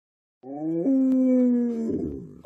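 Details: Alaskan Malamute named Tonka, one of several dogs following their owner into the bathroom indoors, gives a short howl: a sustained, slightly wavering tone that jumps up at the start, lasting about a second and a half.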